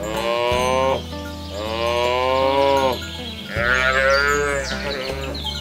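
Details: Rural herd of cows pushed toward their pen beside a rice field: three rapid, strained lowing calls about a second each, closely spaced, against a bed of steady music.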